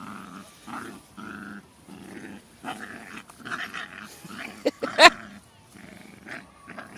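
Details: Jack Russell Terrier Loki, six months old, with Singa, playing tug with a toy and refusing to let go; low rumbling growls come in short bursts, broken by pauses, with a sharp squeak near the end.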